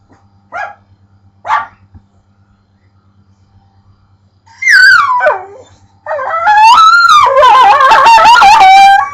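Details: Pit bull making weird noises at a pet bird: two brief soft yips, then long, loud, wavering whine-howls that slide up and down in pitch, strained and almost yodelling toward the end.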